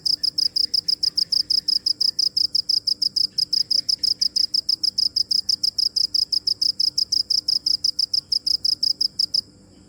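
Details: Cricket giving a fast, steady train of high-pitched chirps, roughly five or six per second, which stops abruptly just before the end.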